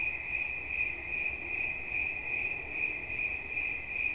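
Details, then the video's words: High, piercing trill of a cricket, steady in pitch and swelling in quick regular beats, accompanied by a faint distant low rumble. "Świerszcz. Dźwięki relaksacyjne"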